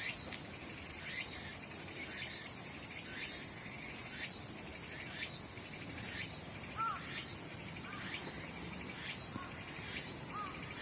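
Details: Cicadas calling in summer at Sakurazawa, Yorii, Osato District, Saitama, Japan, among mountains under clouds and blue sky; a steady shrill high drone with rhythmic rasping pulses about once a second and a few faint chirps midway.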